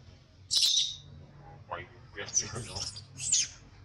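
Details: Baby monkey crying in a tantrum, treated harshly by its mother; a sharp high squeal opens, then a cluster of rapid choppy cries and a final shrill squeak.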